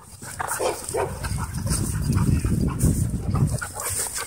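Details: Dogs in wild play at a dog park, with low rough growling and scattered barks packed together, plus scuffling and a faint steady hum underneath.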